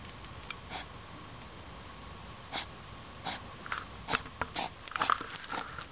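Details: European hedgehog at night, 10pm in early September 2009, sniffing like a pig; sharp snorting puffs about twice a second, getting busier toward the end, against a quiet dark background.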